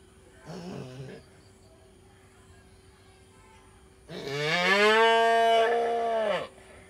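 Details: Village calf in India making a short soft grunt, then after a pause a loud sustained moo lasting over two seconds, rich in harmonics, steady then falling away, against a quiet background hum.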